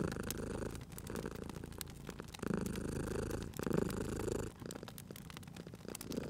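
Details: Purring sleeping cat by a crackling fireplace in cozy spring surroundings; a strong, low vibrating purr runs in long phases of one to two seconds with quieter gaps, and firewood pops and crackles overlay it.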